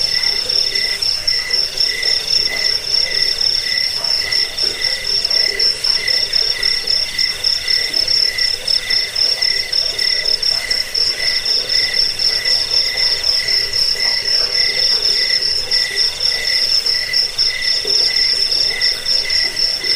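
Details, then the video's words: Crickets used to repel rats, lull listeners to sleep and train songbirds; a dense, unbroken high chirping trill pulses steadily throughout, with a lower pulsing band beneath and soft rhythmic lower buzzes. "Suara jangkik pengusir tikus pengantar tidur"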